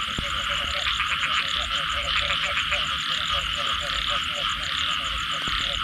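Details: Post-rain frog chorus with regular, bouncy croaking notes repeating quickly, a dense shrill hum behind them, and a couple of sharp clicks at the start and end.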